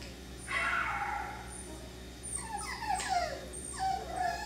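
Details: Young F1b Cockapoo puppies (3/4 Miniature Poodle, 1/4 Cocker Spaniel) bred at Dyer Farms whine loudly: a long wavering whimper, then a quick run of falling yelps and squeals, against a faint background hum.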